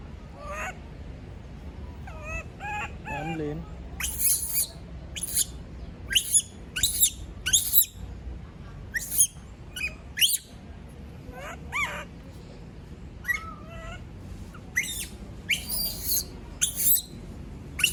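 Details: Left alone by everyone, a female monkey produces a string of high, strained screams and yelps. Wobbling squeals open the sequence, then come dense runs of sharp cries with brief pauses, and a person speaks right afterwards.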